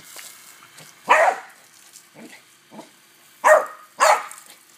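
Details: A pet dog barks while playing with a water hose. Three loud, sharp barks come at irregular intervals, with softer huffs and splashy noises between them.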